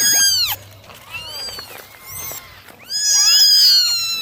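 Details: Kittens being dried in the morning, one of a litter of nine; a loud piercing meow opens, softer thin mews follow, then a long strong meow rises and falls at the end.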